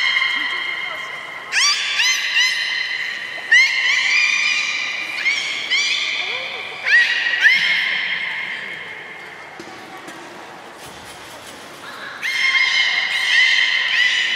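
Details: Beluga whales in Port of Nagoya Public Aquarium on 3 February 2019, at feeding and later play: repeated bleating, harmonic squeals about every one to two seconds, a quieter gap in the middle, then the calling resumes.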